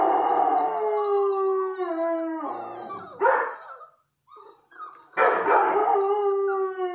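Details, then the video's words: A young red and white Setter female howls at her breeder's newest litter of red-coat puppies. A long, steady, rich howl holds for over two seconds, breaks into short yelps, then rises again into a second sustained howl. "Howling Setter"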